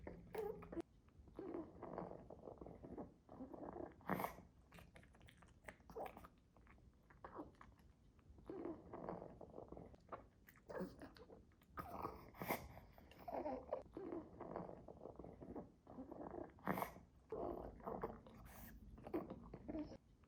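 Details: A Pekingese snuffles and snores in low, rough breaths, broken by sharp sneezes and wet chewing as it eats treats.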